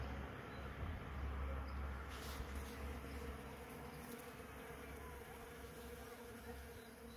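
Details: Bees working a hazel tree on 20 February 2022, a steady low droning hum with a faint even tone running through it and no clear breaks, over a soft rushing background.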